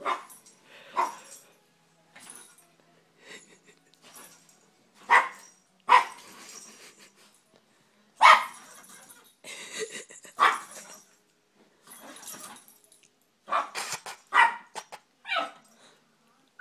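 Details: Two Yorkshire Terriers in a fight: a steady run of sharp, snappy barks and growly yaps, roughly one every second, loud and close in a small room.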